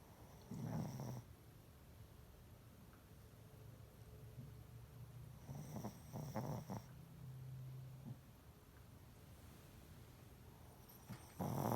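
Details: Shih Tzu (Canis familiaris), snoring.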